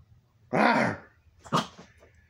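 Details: Elderly 16-year-old Boston terrier, nearly blind and able to see only about a foot, playing: one loud, rough bark-growl lasting half a second, then a shorter sharp yelp about a second later.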